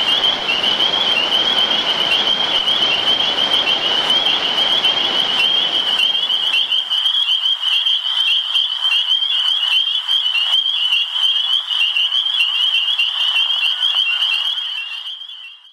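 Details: Spring peepers, tree frogs calling at night after summer rain, a dense chorus of high, piercing peeps repeated rapidly, about 150 per minute, with a low rumble of rain or traffic fading out after six seconds.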